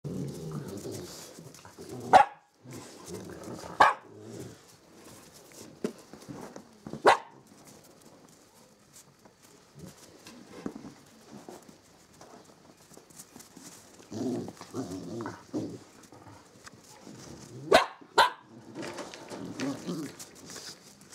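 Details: Samoyed mother and puppies at the White Wolf kennel, indoors: sharp, short barks at about 2, 4, 7 and 18 seconds, two close together near the end, with quieter low whines and shuffling between.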